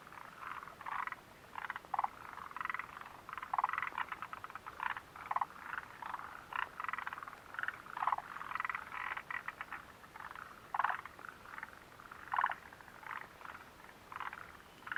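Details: Chorus of frogs by the Mitsuishi mountain refuge hut, recorded June 29, 2013, a steady stream of short pulsed croaks overlapping irregularly, some louder individuals standing out every few seconds over a faint hiss.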